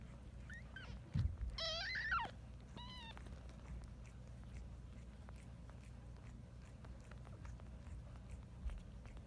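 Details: A female Siamese cat giving birth to her second litter on a bed in the afternoon gives a few drawn-out, wavering meows, one rising then falling, before falling quiet.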